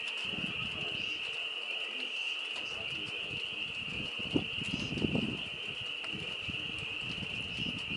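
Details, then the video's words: Frogs mating in a homestead farm pond on April 25, 2022, as spring warms up: a steady, unbroken high-pitched trilling chorus holds throughout, with faint low voices murmuring beneath it around the middle. "Frogs Song"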